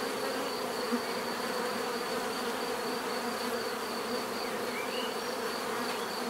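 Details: Constant buzzing of a bee swarm, a dense steady hum with a thin high-pitched line above, one brief louder pass near the first second, otherwise unchanging.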